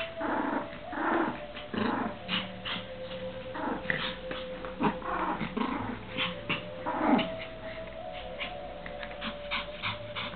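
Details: A Pomeranian and a Lhasa Apso at play with a frisbee give repeated short growls and yips, bursts every second or so through the clip, as a woman's voice talks to them.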